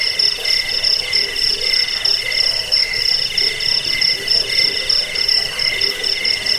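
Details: Crickets chirping in a recording meant to repel rats, aid sleep and serve as a master song for birds; high, insistent trilling beats in uneven pulses, bright upper tone over lower buzzy bands.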